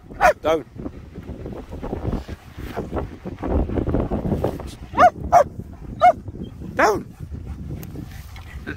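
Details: Playing German Shepherds Nico and Zeeva outdoors in the Scottish Borders near Hawick on a sunny day: scattered sharp barks, a quick pair early, then singles near the end, over a low murmur of rustling and background noise.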